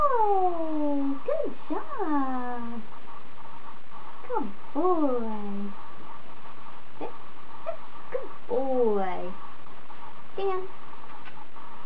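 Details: Bond, a 28-day-old male Standard Poodle puppy on his fourth day of training as a future service dog, gives a series of high whines, most sliding downward, some briefly rising then falling, in short clusters over steady low background hum.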